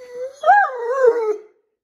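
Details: Talkative Great Dane indoors, complaining that an upside-down cat is blocking the bedroom-to-bathroom doorway; one drawn-out, wavering tonal howl-whine, rising then gently falling over about one and a half seconds.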